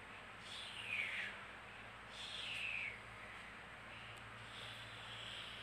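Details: Kittens playing and fighting with each other indoors; two thin, high mews slide downward, each lasting under a second, spaced about a second apart over a steady soft hiss.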